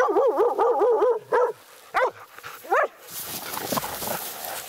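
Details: Laika hunting dog barking at a badger during a night hunt, its first encounter with one: rapid run of high, wavering yelping barks, then three separate barks, ending in rustling undergrowth noise.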